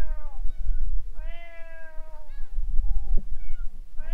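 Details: Stray cats quarrelling near a boat: a falling cry, then a long steady harmonic yowl bending downward, followed by softer fading notes and a rising cry at the end, over low rumbling noise.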